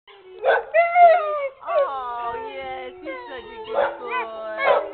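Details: Brown male American Pit Bull Terrier in a shelter kennel "singing and talking": wavering, drawn-out howls with sliding pitch, broken by short yelping notes, while a woman speaks softly nearby.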